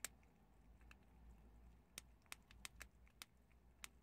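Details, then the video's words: Prairie dogs eating chickpeas indoors: sharp, dry crunching clicks come in bursts, several close together around the middle, over a low steady room hum. "프레리독 병아리콩 씹는소리를"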